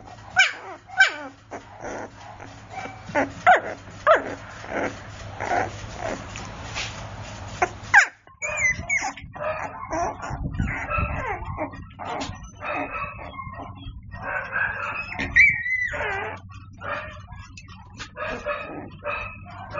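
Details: Chinese Shar Pei puppy giving a run of sharp barks and yips, irregular bursts through the recording, with a brief quiet gap midway and a constant low hum.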